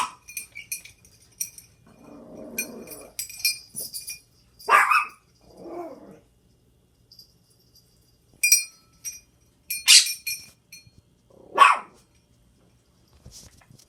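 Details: Chihuahua in a home barking at a pet quaker parrot and perhaps the door: a few short, sharp yaps spaced several seconds apart among softer rasping squawks and repeated metallic bell rings.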